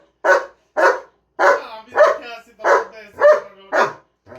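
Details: Pet German Shepherd dog barking while being teased at home, seven loud, sharp, even barks about half a second apart, with a short partial bark at the end.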